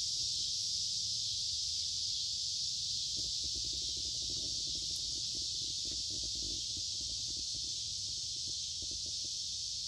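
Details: Lots of cicadas singing in summer woods along a creek, warm and humid: a constant piercing buzz dominates, and bursts of low rapid clicking or rustling appear in the middle.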